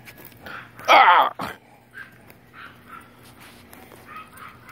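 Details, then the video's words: German Shepherd at play gives one loud, harsh bark about a second in, followed at once by a shorter burst, then quieter human voices talking in Spanish over a low room hum. "German Shepard playing"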